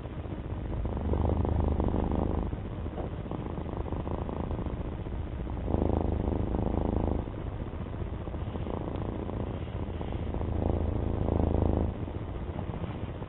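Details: Domestic cat purring steadily, a low rumbling throb with louder, fuller surges lasting about two seconds each, rising and falling in a slow breathing rhythm across the whole recording.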